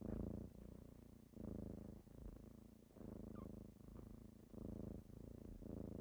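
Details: Rhythmic kitten purring at morning wake-up time, low rumble swelling and pausing about once a second, a faint short squeak midway.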